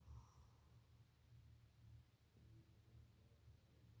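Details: A female German Shepherd watchdog in deep sleep snores with a low, rumbling rasp that rises and falls with each breath.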